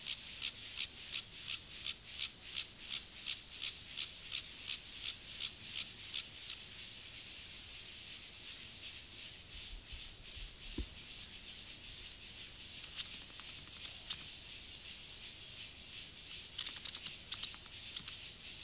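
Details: Male Gomphocerus sibiricus, the Siberian grasshopper, in courtship with a female: a run of regular, hissy rasping pulses for several seconds, then sparser irregular scratches and a soft click.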